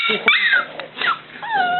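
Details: Little black Cockalier puppy whining for its mother Milly, who is out of the room; three drawn-out tonal whines, each sliding downward, with a woman's voice briefly at the start.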